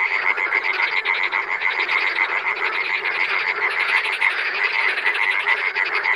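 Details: Wild frogs in a dense chorus: many overlapping, rapidly pulsed croaks with a bright rattling edge. The calls run continuously at a steady rhythm throughout, with no pauses and no other clear sounds.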